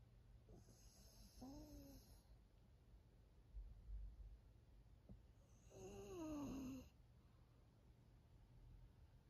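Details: Two raspy snores several seconds apart from Maria, a thirteen-year-old female fawn pug living as a pet in Japan, each with a wavering whistled tone through the rough breath, over constant low indoor hum.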